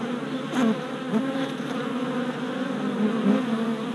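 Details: Orientation flights of worker honey bees at a new hive, four days after a package was installed, 27 April 2017, GoPro Hero Session 5; steady low buzzing with brief louder swoops as single bees fly past the camera.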